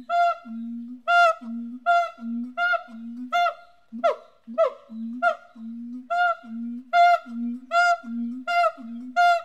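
Ringing, nasal barks from a siamang come in a steady series, a little over one a second. Each bark is backed by a low, hollow boom, and the pattern grows briefly ragged midway before settling back into rhythm.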